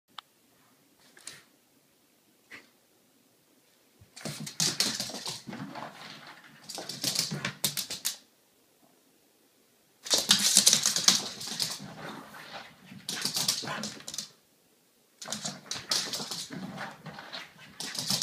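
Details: A French Bulldog makes bursts of rapid, raspy snorting and grunting noises, excited that it's Friday.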